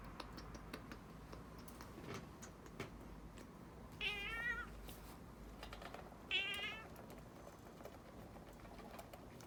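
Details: Pet cat complaining during claw clipping, giving two wavering, high meows about two seconds apart, each roughly half a second long, over steady clicking like typing and a low background hum.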